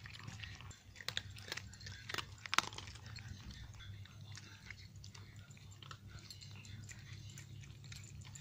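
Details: Dry cat food being crunched by nine domestic cats in Portugal at breakfast and snack time. Sharp, clustered bites that are loudest early, then softer steady munching over a low room hum.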